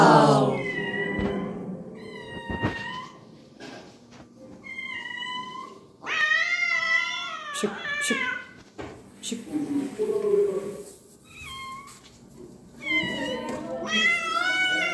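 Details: A wounded cat meows again and again: clear, high, harmonic cries, some long and wavering, others short and rising, separated by brief pauses, with low rustling and faint background sounds between calls.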